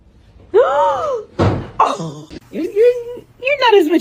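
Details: Domestic cat in a funny cat compilation giving several drawn-out meows that rise and fall in pitch, with a thump and human voices between the calls.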